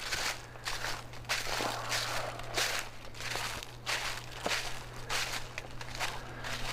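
Footsteps crunching through dry leaves and brush at a steady walking pace, with a low steady hum underneath and no animal voices.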